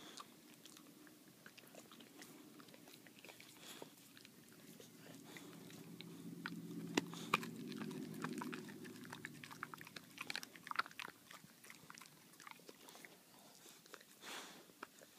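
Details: Baxter the boxer chews his bully bone, giving rapid irregular crunches and clicky bites, with a low muffled rumble swelling midway before the gnawing continues in quick bursts.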